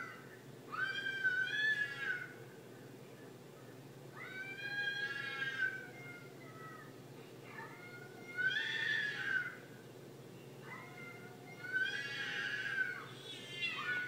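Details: Fina, a pet cat looking disturbed as she watches footage of real cats fighting, repeats long wavering meows about every three to four seconds, four calls in all, each rich in harmonics and bending downward, above a constant low electrical hum.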